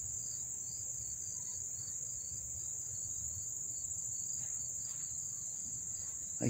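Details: Close-range cricket chorus in Dobbs Ferry, New York, August 1, 2014, forms a steady piercing high trill with rhythmic pulsed chirps just below it, while a man talks briefly in the background.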